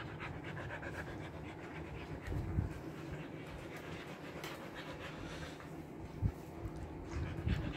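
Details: Trimmed Siberian Husky in Kolkata's summer heat, panting in fast breathy bursts, with a few louder low thumps near the middle and end and a steady background hum.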